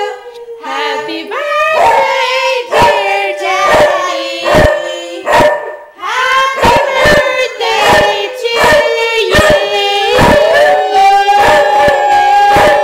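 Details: Pet dog howling along to the Happy Birthday song: sustained, wavering tonal howls that slide up and down, with sharp rhythmic taps throughout.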